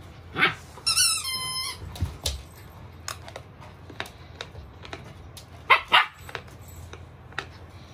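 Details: Female Samoyed Milk, excited while digging, lets out a bark, then a drawn-out whine with a stepped harmonic tone, then scattered scratching and clicks from digging, and a final pair of quick barks near the end.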